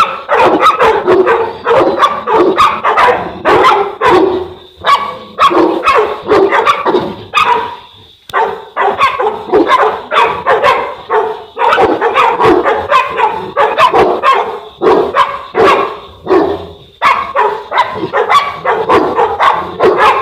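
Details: South African Mastiff (Boerboel) pair kept in Egypt; loud repeated barking in bursts, short gaps between volleys, rough broadband barks continuing throughout.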